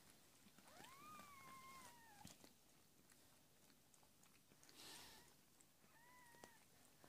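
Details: Cat Amber delivering four kittens, two tuxedo and two calico, on an evening in February 2017: a long, rising-then-falling mew, a faint brief cry, then a short level mew, with quiet shuffling.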